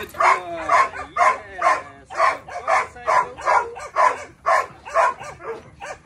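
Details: Steady barking from a Belgian Malinois named Psycho, about twelve loud, evenly spaced barks at roughly two per second, each with a brief whining onset.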